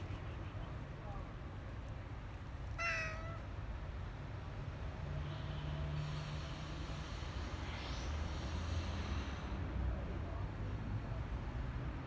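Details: Stray cat being fed outdoors in parks and streets gives one short, downward-sliding meow about three seconds in, then falls silent, over a steady low rumble of city traffic.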